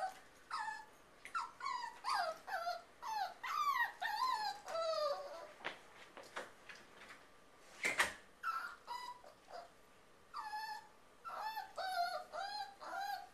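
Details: Eleven-week-old rescue miniature pinscher mix puppy, about 3 lbs, named Boba Fett, left in a kitchen behind a baby gate; high, whiny whimpers and yips in rapid bursts, each note bending down, many in a row with short pauses.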